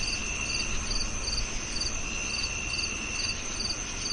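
A cricket chirps steadily, with high pulsed trills repeating about every half second over a low rumble.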